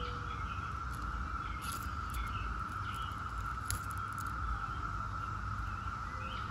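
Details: Chorus of 17-year periodical cicadas from Brood X: an unbroken, even drone at a single pitch, with brief high bird chirps and clicks scattered over it and a constant low rumble beneath.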